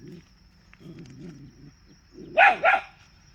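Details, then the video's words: Dog giving two quick, high barks near the end, preceded by low rumbling sounds, with a steady faint high tone in the background. "Dog Barking Sound Effect|Cute Dog Barking"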